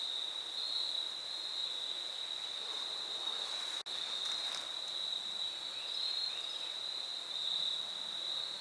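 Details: On the Foothills Trail in fall 2022, crickets keep up a constant shrill trill at a single pitch, broken by a brief dropout near four seconds, with faint scattered ticks over a hissing background.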